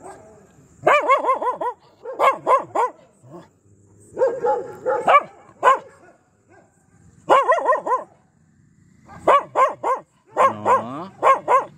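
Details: Aggressive Pomeranian giving clusters of shrill, rapid barks separated by brief silences, bursts of two to four barks each, some yappy and strained.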